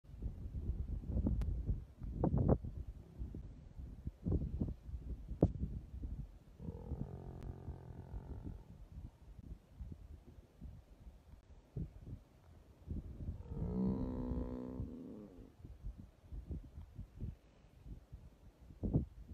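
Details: Buffalo being eaten alive by a hyena, attacked while asleep, gives two hoarse, moaning bellows about seven seconds apart, separated and surrounded by low crunching, thudding and rustling.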